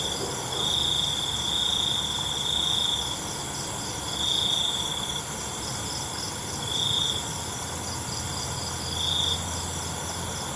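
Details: A cricket at night trills in bursts: one long phrase of about two seconds, then shorter spaced bursts, all riding on a steady wash of high insect noise.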